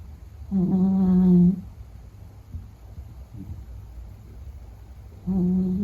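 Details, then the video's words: Deep, steady, humming snores come from Meta the Beagle while sleeping: a loud one-second drone, a long quiet pause, then another beginning, low and evenly pitched. "比格犬睡觉白噪声 Snoring"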